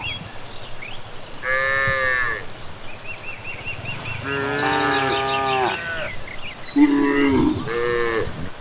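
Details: Cattle returning from grazing in the evening along a village path, lowing in several harmonic-rich moos, some short and some drawn out, about four calls in succession, with chirping and whistling evening birds in the background.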